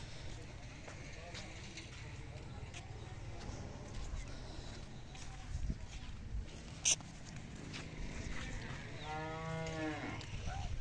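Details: Australian Friesian cow on a modern dairy farm in Sargodha, Pakistan, gives a single drawn-out, harmonic moo near the end, amid steady low farm rumble and a man speaking briefly.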